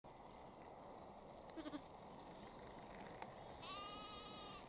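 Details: A single wavering bleat with a rich harmonic stack near the end, from lambs and sheep grazing in Cambridgeshire, UK, on 20 April 2021 at 6:46 pm. Lambs push their heads through a fence to eat grass; steady outdoor background hiss.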